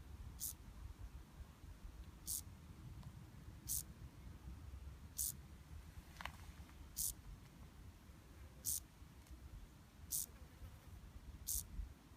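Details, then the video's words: A cricket, recorded close up, gives short, sharp, high chirps about every second and a half over a low background rumble. "How does cricket makes sound - close up"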